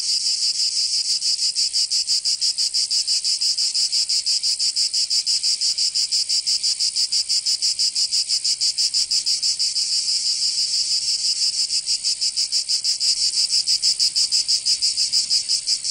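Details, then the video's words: Cicadas singing in summer in Provence, southern France: a dense, continuous high-pitched buzzing chorus pulsing rapidly and evenly, about three beats per second, steady throughout with no other sounds. "Canto Cigarra 🦗 [ Escuchar les cigarras en verano 10 H]"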